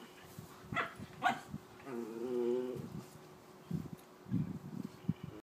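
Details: Two Schnauzers, a six-year-old miniature and a five-month-old giant, wrestling playfully in a garden; brief harmonic whine-growl near the middle, with short sharp yips and scuffling bursts before and after.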